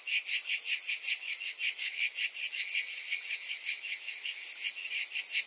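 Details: A summer chorus of cicadas, loud and piercing, its high buzz rising and falling in even throbs close to three per second.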